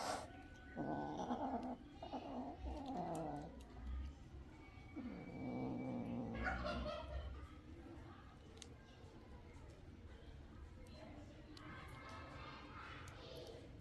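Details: Kitten drinking milk, giving a run of short tonal mews with stacked harmonics in the first seven seconds, then fading to quieter background noise with faint clicks.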